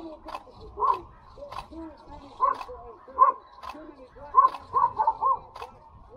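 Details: Standard poodles playing outdoors in Ketchum, Idaho, giving sharp barks in irregular bursts, several coming close together near the end, with people talking throughout.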